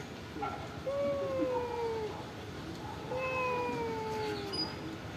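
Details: Homeless cats at a pagoda being given rice and fish; two long, slowly descending meows, about a second or more each, with clear harmonics over low background noise.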